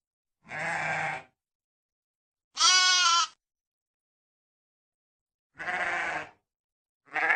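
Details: A sheep gives four nasal bleats at intervals of roughly two to three seconds. The second bleat is higher and brighter. Each bleat is cut off sharply into dead silence.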